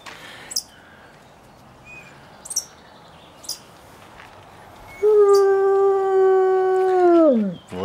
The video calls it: Как воют волки